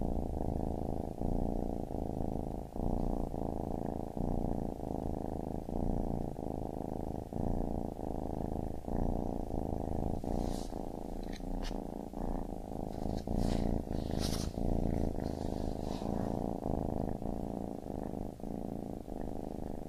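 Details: Baby kitten purring in a dense, even low rumble pulsing with each breath roughly every second, with bright rustling sounds clustered toward the later part.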